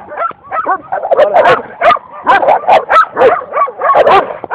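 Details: Belgian Shepherd barking and yipping continuously, dense overlapping high-pitched barks with whimpering, whine-like tones running throughout.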